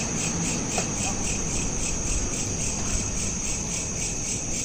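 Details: Cricket chorus at night on a smartphone: quick repeated high pulses of shrill chirping, evenly spaced, over a persistent low hum.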